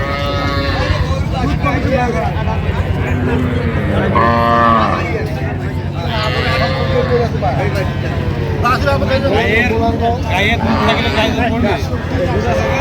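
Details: Cattle at Ambari cattle market, cows and calves for sale, moos rising and falling amid constant crowd chatter and traders' bargaining voices, a low steady hum beneath.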